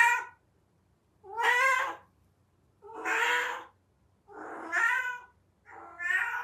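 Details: Domestic cat calling during its heat period: five rough, plaintive meows of about a second each, repeated at roughly one-and-a-half-second intervals, with a slightly hoarse tone and quiet background.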